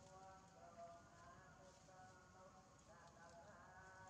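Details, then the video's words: Baby monkey Janna, injured on the lip, whines for food in her hunger, a soft wavering tonal cry rising and falling in two short phrases amid background hiss and rustle. "baby Janna cannot bear her hunger crying to ask for food eating"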